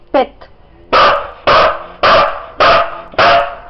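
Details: Sizara the Siberian Husky counts to five by barking: a brief whine, then five strong, evenly spaced barks about every half second, given after being asked for five in Bulgarian.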